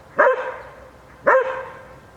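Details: Bubu, a Šarplaninac, teasing a wolf: two sharp, loud barks about a second apart, each with a rising onset and a ringing harmonic tail, over a quiet background.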